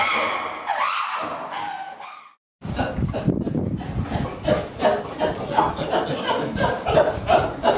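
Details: Chimpanzees at a sanctuary making a variety of sounds: a wavering, hoot-like call, a brief silence, then a loud, harsh, noisy chorus of rapid calls, roughly three per second, rising and falling in intensity.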